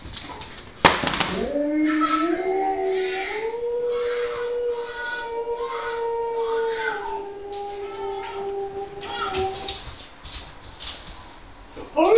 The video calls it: Alaskan Malamutes Howling